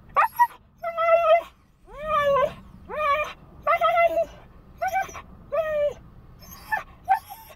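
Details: Siberian Husky puppy Bandit, lonely in the car outside a bank, gives a run of short arched whines and yowls, roughly one per second, each bending up then down, over a low hum of background noise.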